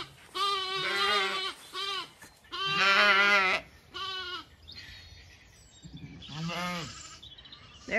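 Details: Zwartbles ewes and lambs in a County Kilkenny, Ireland orchard at sunset, mothers searching for lambs separated by a closed gate; a series of wavering bleats of varying length, some overlapping, with quiet rustling and faint noise in the gaps.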